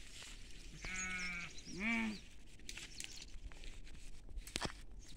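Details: Goats grazing in a field with sheep; two bleats in quick succession, a flat drawn-out cry followed by a shorter quavering one, then scattered clicks and low background noise.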